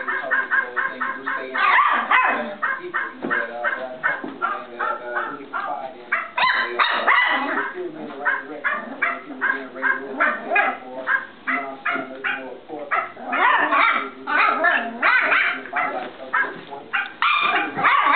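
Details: A Cavalier King Charles Spaniel puppy, a little over two months old, filmed in 2008, gives sharp, high barks in quick, uneven bursts. They blur with the tinny, musical yapping and jingle of a barking toy dog puppet he is playing with.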